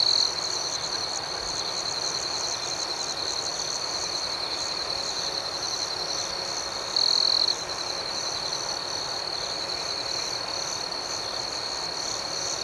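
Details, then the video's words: Crickets at night in an outdoor setting, a constant high-pitched ringing trill with soft pulsing overtones; one louder shrill stretch stands out midway, all over gentle background noise. "Soothing Cricket Sounds"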